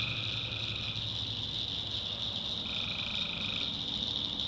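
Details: Swamp at night in the North Carolina backwoods, tree frogs calling: a steady piercing chorus fills the background while one buzzy trill fades out early and another runs for about a second near the end.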